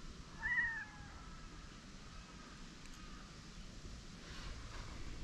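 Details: A white cat and a Siamese cat, just after fighting, quickly make up and sit side by side on a bench; one short meow with rising-then-falling pitch near the start, followed by quiet outdoor background rumble.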